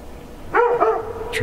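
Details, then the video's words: A village dog barks loudly from the end house of Aleksandrovka, Semyonov district, Nizhny Novgorod region, in winter. A single ringing double bark is followed by a short sharp sound near the end. "Там стоят две старинные машины и громко лает собака"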